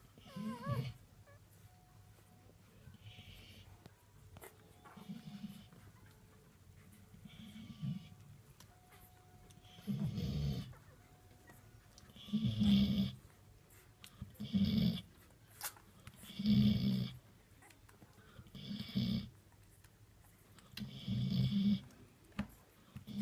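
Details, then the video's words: A mother Golden Retriever of nine newborn puppies sleeps and snores while they feed: low rasping snores return about every two seconds, with a brief high squeak at the start and a quiet indoor background. "Snoring Golden Retriever"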